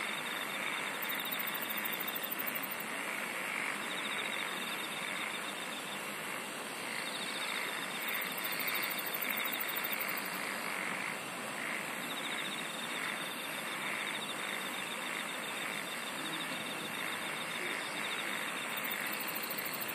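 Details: Insect song in a thick, unbroken chorus, with repeated bursts of very high pulsed trilling every few seconds above a steady buzzy drone and rhythmic mid-pitched chirping.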